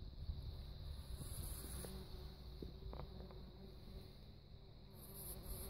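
A bumblebee's low, droning buzz hums steadily, with a faint high hiss behind it.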